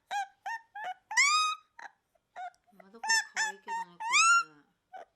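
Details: Young Akita dog, the Japanese breed listed as a national natural monument, crying in short squeaky yelps and two longer rising whines, with a faint lower nasal murmur under the later calls.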